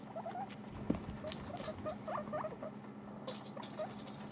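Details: Several domestic guinea pigs munching dried apple pieces, with quick clusters of small chewing clicks and thin squeak-like ticks in bursts through the short recording, plus a faint background hum.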